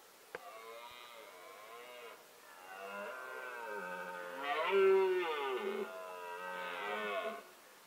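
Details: Male red deer bellowing during the rutting season, filmed in the wild with a Nikon D7100 and Nikkor 300mm lens; long, deep, harmonic roars that swell and fall in several drawn-out surges, louder toward the middle, over a quiet background.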